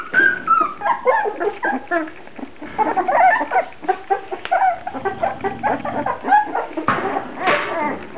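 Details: A litter of Grand Basset Griffon Vendéen puppies gives continual high whimpers and sliding whines, overlapping one another almost without pause, mixed with scuffling and shuffling sounds.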